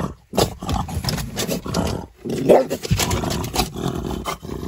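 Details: Outraged French Bulldog voicing rough, throaty growling grumbles in dense continuous bursts, broken by a short pause near the start and another around the two-second mark.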